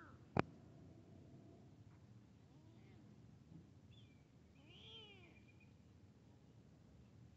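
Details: Kitten meeting a big cat: two soft, faint meows with arching harmonics near the middle of the clip, after a sharp click at the start, over low background hum.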